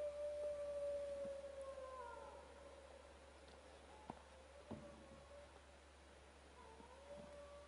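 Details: Several wild dogs howl at a camp, sustained mid-pitched tones with a higher voice gliding downward above them, the chorus fading then returning, broken by a couple of sharp knocks.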